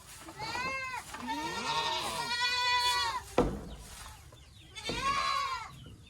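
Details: Boer goats on a goat farm in a Nepali village, bleating loudly in long, wavering, nasal cries. Several voices overlap over about three seconds, a sharp knock follows, then one more drawn-out bleat rises and falls.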